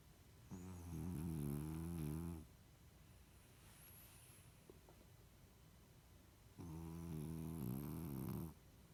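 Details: French Bulldog snoring while asleep: two long, low, buzzy rattling snores about two seconds each, separated by roughly four seconds of quiet breathing, in a quiet indoor setting.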